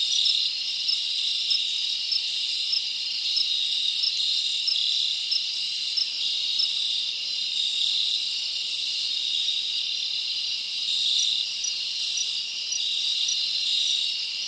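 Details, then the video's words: Summer night in the forest with many crickets chirping together, a steady high shimmering trill that never breaks, slight pulses in loudness, nothing else standing out. "Live Crickets Natural Sound"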